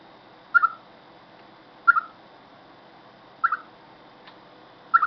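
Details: A chipmunk calls before rain with loud, abrupt double-noted chirps, the first part sharp and the second lower and softer. Four calls come about one and a half seconds apart over a faint steady hum.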